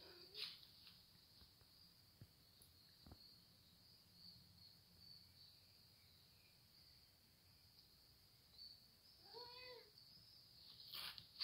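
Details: A hungry cat talking gives a short meow near the end, after a long stretch of quiet clicks and a constant high-pitched hiss in the background.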